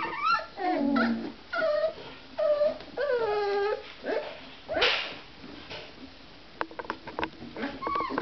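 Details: Playing 24-day-old Basset Artésien Normand puppies whimper in a series of drawn-out, wavering whines, each falling in pitch, roughly one per second, followed by a brief quieter stretch and a few more short whines.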